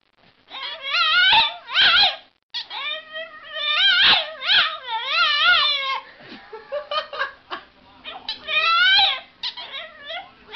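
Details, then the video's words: Boston Terrier crying in a series of high, wavering whines with strong harmonics, each rising and falling in a yodel-like bend, given in bursts of one to two seconds with short breaks between. "funny cute dog crying"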